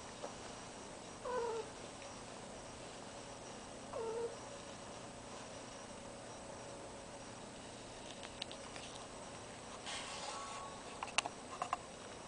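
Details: Cat in heat sharing a home with an attention-seeking deaf ferret: two brief, fairly faint yowling meows in the first half, then soft rustling and scattered clicks.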